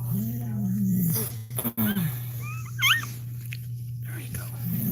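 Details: A Cane Corso whimpers during another dog's labour: a long, low, steady whine for about a second, then small high chirping squeaks, with rustling, a constant electrical hum and room noise.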